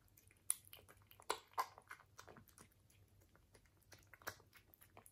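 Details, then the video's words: British Shorthair cat eating, bright crisp crunches in quick irregular succession, a few louder bites standing out, recorded close in a quiet small room with a low background hum. "ASMR CAT eating - British Shorthair Cat"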